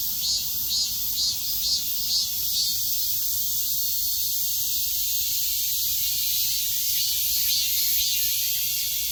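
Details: Cicadas singing together in midsummer, a loud, shrill, continuous drone with rhythmic throbs about two per second, slightly stronger early on, then evening into an unbroken buzzing wall.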